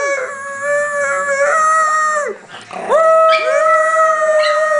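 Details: Pet dogs howling in chorus, said to love singing; long level wailing tones from several dogs, breaking off briefly midway with a falling slide, then resuming with a rising swoop into sustained harmonised howls.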